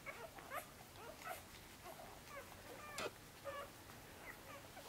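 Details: Newborn Korthals Griffon pups in Djip's nest, sixth day, crawling under their mother toward a teat: short wavering squeaky whines come in scattered bursts, some with faint overtones, over soft shuffling.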